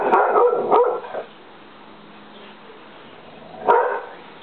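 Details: English Springer Spaniel letting out a quick cluster of three rough barks, then a pause and one more bark.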